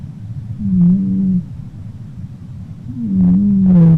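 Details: Pinky, a red domestic cat, snoring very loudly while asleep: two droning, nasal hums about half a second long, the second breath longer and buzzier, separated by a quiet pause.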